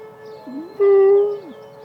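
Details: Penny, a Malamute Great Dane, howls at emergency sirens during a siren test: a brief swoop rising into a loud, steady, sustained tone that then falls away, with a constant siren drone running underneath.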